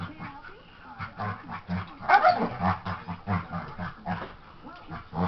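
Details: During play with his baby sister, the dog Nelson gives low rhythmic growls broken by a brief, sharper bark-like yelp midway, the grumbling pulses repeating roughly every third of a second.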